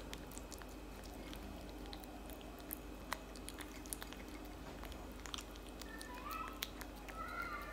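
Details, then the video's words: Tabby cat chewing cat food, the loud eating producing scattered sharp crunch clicks at irregular intervals, with a faint higher tonal squeak toward the end over a soft indoor hum. "eating cat food for 5 minutes straight"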